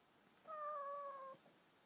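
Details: A cat meeting a stray cat gives one long, steady, level meow of nearly a second, clear and tonal against a faint background hiss.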